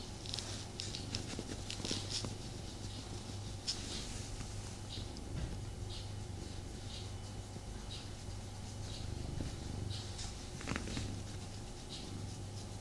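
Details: Continuous low, even purr from a male house cat snuggling with its owner, a deep steady rumble with pulsing breaths, overlaid by intermittent rustles and light tapping of fur and fabric.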